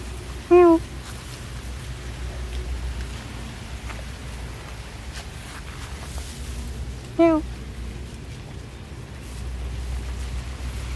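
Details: Hungry cat staying in a hole gives two short, clear meows, one early and another about six and a half seconds later, over a steady low rumble of background noise.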